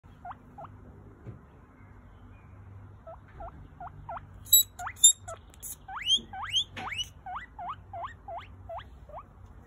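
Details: Pet guinea pig giving rising, whistled squeaks in quick series, a few at a time at first, then a longer run of louder, higher upsweeps; brief clicking and rustling noises midway, quiet room otherwise.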